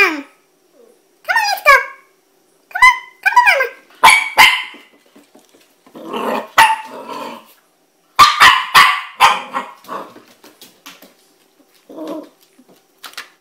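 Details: Puppy Chloe, reluctant to go down the stairs, gives high falling whimpers and sharp yelps, then short bursts of barking between pauses, while a woman's coaxing voice offers to carry her down.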